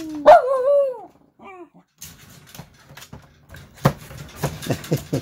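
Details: Shiba Inu at home in Japan, during a move into a new all-wire cage: one sharp, high yelp bending up then down, then a softer short whine, followed by metallic rattling and clatter from the cage.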